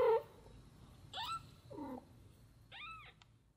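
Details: Domestic mother cat Samel and her tiny kitten daughter Miko; a quick run of four plaintive meows, some bending upward then down, a lower drawn-out mew among them, in a quiet indoor setting.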